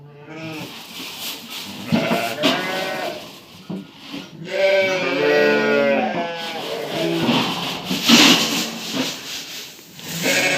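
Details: Lambs around one and a half months old at feeding time in the evening. Uneven bleats come every few seconds, some drawn-out and wavering, others short, with brief pauses in between.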